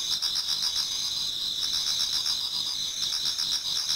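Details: Autumn insects in a Japanese garden near dawn, many singing together: constant shrill ringing trills layered into a steady high chorus, faintly pulsed, with no birds or voices standing out.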